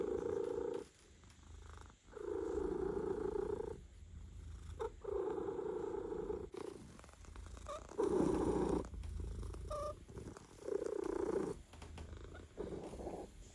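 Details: Relaxed male domestic cat purring while being massaged; a continuous rumbling purr in bursts of one to two seconds, each breath cycle separated by short quiet gaps.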